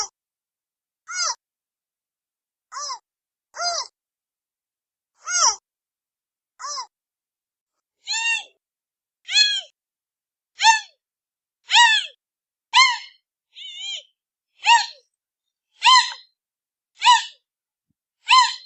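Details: Giant panda cub giving a long run of bleating, squealing calls, each a short harmonic arch with bright upper tones, about fifteen spaced irregularly one to two seconds apart, against total silence.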